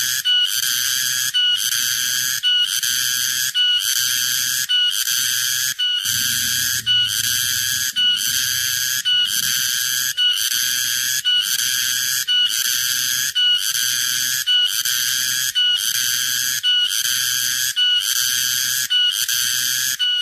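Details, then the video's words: Summer cicada song: loud, high, buzzy bursts of about one second each, repeated steadily roughly once per second with short gaps, and a faint low hum beneath. "Summer cicada, cicada sound no copyright, cicada noises"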